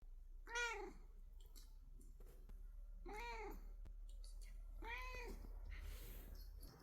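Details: Rescued house cat in a relaxed mood before sleep, indoors: three short, arched meows spaced roughly two seconds apart, each rising then falling, in a quiet room with low hum.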